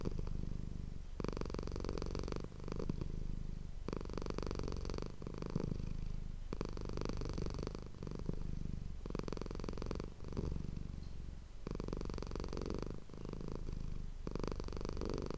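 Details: Close-miked purring from the domestic cat Manis, recorded for ASMR indoors; deep, vibrating rumble rising and falling in regular breath-paced bursts roughly every two seconds, with no other sounds.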